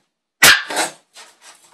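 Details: A single shrill bark from a male Westie puppy, a month and a half old, trailing into a rough, breathy tail and two softer huffs afterward.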